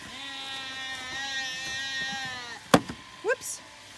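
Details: A long, steady, quavering bleat lasting over two seconds from Zwartbles sheep in County Kilkenny, Ireland. Late lambs do not know their ewe after shearing. A sharp knock and brief rustling sounds follow.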